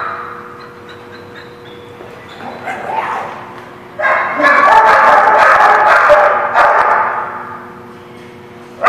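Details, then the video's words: Barking dogs at The Barking Lot on 12/3/16. A quiet opening with faint hum and a few scattered yips builds into a sustained burst of rapid, layered barking from several dogs, then drops away before a final bark. "The Barking Lot"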